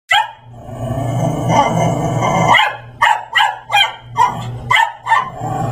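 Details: Brussels Griffon dog in a dinosaur Halloween costume harassing a Persian cat indoors: a long rumbling growl of about two and a half seconds, then six sharp, evenly spaced barks.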